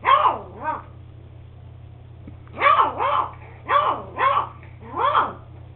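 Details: Eight-week-old beagle pup Max barks in quick paired yelps, high and bending down in pitch, groups separated by short pauses, with low electrical hum underneath.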